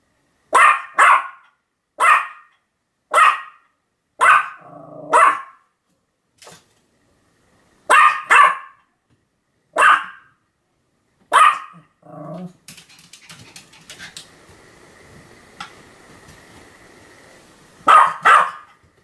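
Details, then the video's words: Pet Pomeranian Sam barking repeatedly on 7 October 2015: a long run of crisp, evenly spaced yaps, often in doubles, with brief low growly tails on a few. A quieter humming stretch follows before a last pair of barks. "犬の鳴き声 ポメラニアン サムの連続吠え"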